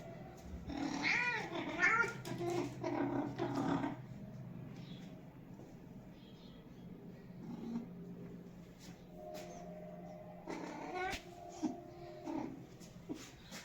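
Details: Domestic cat giving several drawn-out, wavering meows in the first four seconds, rising and falling in pitch, then quieter scattered sounds and a few softer calls near the end over a low steady hum.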